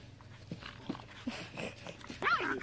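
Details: Nine-week-old puppies from a litter playing in a yard in May 2015; soft scuffling thuds and small grunts, then one sharp, high, squeaky yip near the end.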